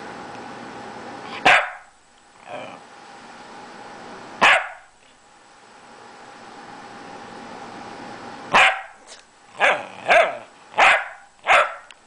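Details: A very vocal male Pembroke Welsh Corgi "talks" to his owner in loud, sharp barks, spaced at first, then in a quick run of five.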